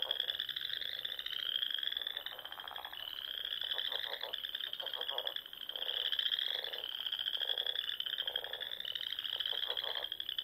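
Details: Spring frog chorus at dusk from ponds in the Sandhills of Nebraska: continuous high trilling from many callers, overlaid with lower, rapidly pulsed croaking bouts that come and go about every second.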